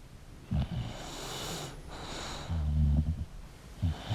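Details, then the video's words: English bulldog asleep, giving a short snort, then a soft breathy pause, then a low rumbling snore followed by two brief snuffling snorts. "English Bulldog Sleeping & Snoring Sound"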